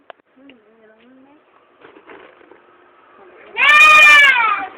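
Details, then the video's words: Goat that has fallen into a well: after a quiet stretch of faint voices, one loud, strained, wavering bleat with rich stacked harmonics lasts about a second near the end. "suara aneh Kambing jatuh di sumur"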